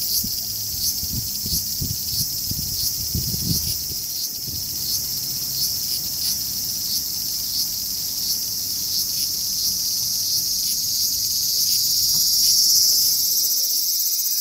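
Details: A large brown cicada, a summer insect, sings a steady, sizzling drone, like oil frying in a pan.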